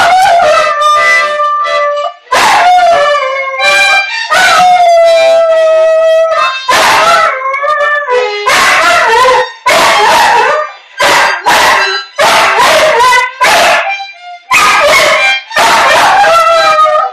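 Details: An English Bull Terrier howls in long, wavering, tuneful bursts, "singing" along with the owner's young son's singing voice.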